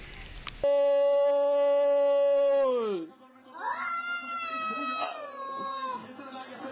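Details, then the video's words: Cat producing a weird noise: a very steady, flat, sustained tone held for about two seconds before sagging downward, then a couple of wavering, uneven yowls with strong overtones. "Cats Who Make Weird Noises!"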